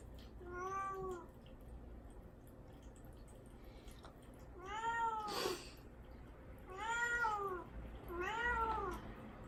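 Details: Domestic cat Mame Daifuku, caged alone while fasting from food and water before neutering, crying to be let out: four drawn-out, harmonic-rich meows, each bending up then down, spaced about two seconds apart in a quiet small room.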